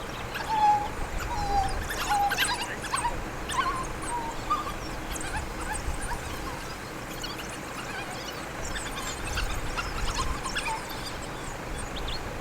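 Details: African wild dog pack in Kruger National Park, South Africa, feeding pups by regurgitation during a frantic feeding session; short squeaky whistles and high twittering come in bursts early on, over a constant low rumble of wind or ground noise.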